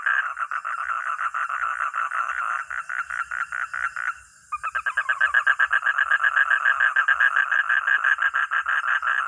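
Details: Rapid pulsed croaking from a frog or toad, stopping briefly around four seconds, then resuming faster and louder with overlapping pulses.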